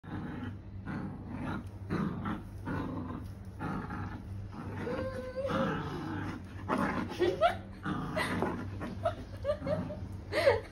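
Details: Female pet dog growling while playing tug of war indoors in a small room, eager to win: rough, broadband growls in short bursts, roughly one to two per second, with a steady low hum underneath.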